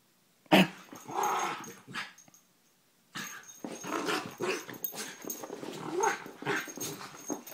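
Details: A sharp loud bark-like burst opens, then a brief pause, followed by a long stretch of scuffling growls and grumbles from the terriers Poppy, Jazz and Max.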